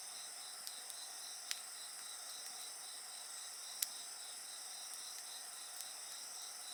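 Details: Continuous high-pitched insect song, a rapidly pulsing trill over constant whining tones, accompanied by occasional sharp pops of a burning bonfire.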